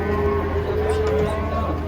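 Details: Giant cattle, described as fierce, being unloaded from a truck in Indonesia; a steady low drawn-out moo with harmonic bands lasting over a second, over engine hum and background chatter.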